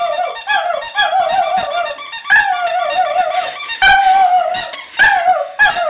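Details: Border Terrier in a drawn-out squealing howl, long wavering notes that dip and rise, broken by brief gaps and sharp, higher restarts toward the end.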